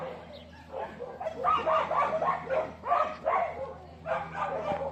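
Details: Several dogs bark and yip in dense, uneven bursts, roughly three to four calls a second, mid-pitched and slightly whining, with a faint voice early on and a constant low hum.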